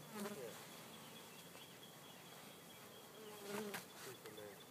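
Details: Honey bees being installed in their first hive on 4/7/12 give a low, droning buzz with a steady hum beneath; louder swells rise near the start and again around three and a half seconds, with faint clicks and handling noise.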